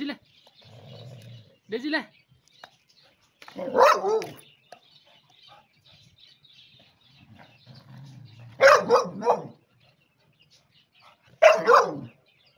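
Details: Pet beagle giving loud, sharp barks in four short bursts spread over twelve seconds, each burst with a few rapid yaps. Between the barks, a person repeatedly calls the name Daisy in Vietnamese over a low background hum.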